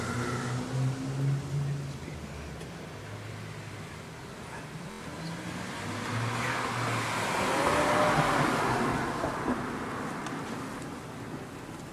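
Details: Steady road traffic and engine rumble, with no animal sound heard. Passing vehicles swell and fade over a low mechanical hum.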